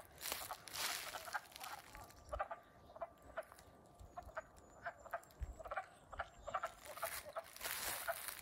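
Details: Wood frogs calling in early spring just after waking, April 7, 2020, in Middlesex, Vermont: a dense chorus of short, clucking, duck-like croaks repeated in irregular bursts, with faint background hiss.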